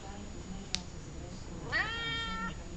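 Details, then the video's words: A talkative cat named Columbus meows once, late in the clip. The meow rises sharply, then holds a drawn-out level tone and fades. A sharp click comes earlier, against a quiet indoor background. "Talkative cat"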